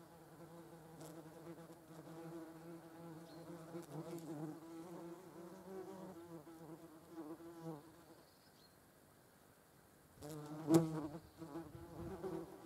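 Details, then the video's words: European hornet buzzing in flight alongside German wasps; a steady, low droning hum with rich overtones runs for about eight seconds, pauses briefly, then returns louder near the end with a short scrape. "hornet and wasp (Vespula germanica). Hornisse und Deutsche Wespen"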